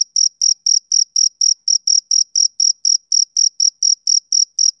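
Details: Male cricket chirping on a summer evening: clean, high-pitched pulsed chirps, about four per second in a steady rhythm, each a short bright burst, with no other sounds.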